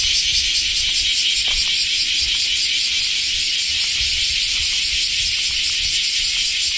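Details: Summer chorus of semi, common cicadas in Japan, heard after the rainy season has finished; a steady, high, rasping drone that never pauses, faint clicks underneath.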